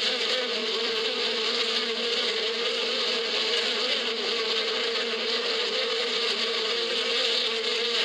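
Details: Bees in spring in the badia countryside: a dense, unbroken hum of many wings holding a steady pitch with bright overtones, no pauses and no other clear sounds.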